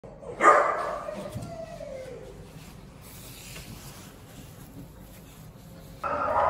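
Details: Danny, an American Staffordshire Terrier at a shelter awaiting adoption, February 2024; a sharp yelp slides down into a drawn-out falling whine, then quiet room noise before a louder burst at the end.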